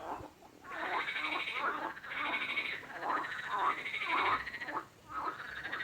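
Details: A frog croaks in long, grating pulses, roughly one per second, five or so rough buzzy calls in a row, with a quieter lull near the end.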